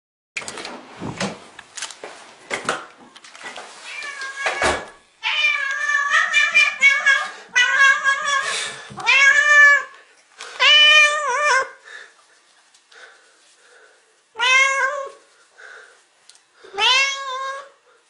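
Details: Cat greeting its owner: a few short scuffing noises first, then a run of drawn-out, harmonic meows, several rising then falling in pitch, repeated roughly every two seconds with brief quiet gaps between them.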